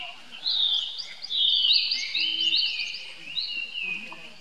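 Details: Young baby monkey calling for help to his older brother Rainbow, who runs to him; long high whistled cries that rise and fall, in drawn-out bursts with short pauses, over faint outdoor noise.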